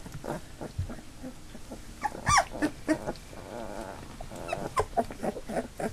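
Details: Labrador Retriever puppies nearly three weeks old, a litter of eight now walking with eyes open, make scattered squeaks and thin whimpers, then a drawn-out wavering whine in the middle, over soft shuffling and rustling.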